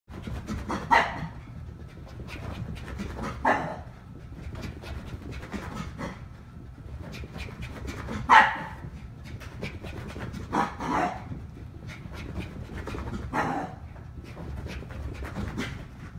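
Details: A 3-month-old poodle puppy and a 1.5-year-old dachshund give sharp, scattered barks and yips over panting and scuffling as the poodle chases the dachshund in play.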